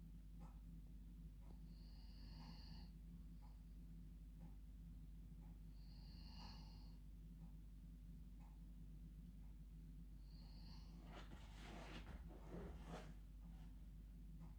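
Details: A female dog asleep in her bed at bedtime snores like a human: slow, whistly nasal breaths roughly every four seconds, then a louder, rougher snorting burst toward the end, in a quiet indoor room.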